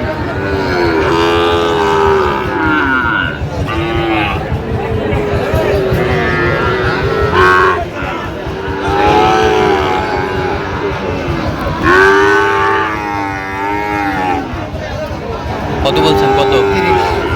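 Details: Sahiwal bull calves sold at a Joypurhat cattle market on 20 October 2025. Repeated long, harmonic moos come every few seconds, rising then sagging in pitch, above loud crowd babble, haggling voices and passing traffic.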